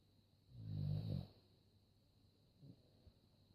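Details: Sleeping dog snoring: one loud, low, rasping snore lasting under a second, then quiet breathing and a faint short snort near the end.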